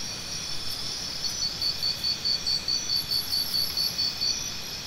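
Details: Crickets for tinnitus sound therapy, chirping in a tidy sequence of short, high-pitched pulses at about two per second, layered on a bright continuous insect chorus.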